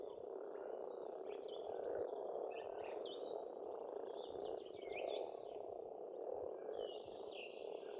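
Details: Steady croaking chorus of numerous frogs at a pond in Estonia during spring, low and murmuring without pause, accompanied by faint scattered chirps of birds in the background.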